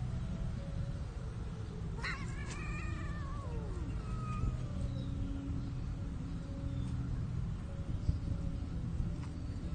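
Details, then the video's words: Shy cats mating while hidden under plants in a park where cats are fed. One drawn-out, wavering yowl with strong harmonics rises and then falls. It is heard over a constant low rumble of background noise. "Caught in the act shy cats mating"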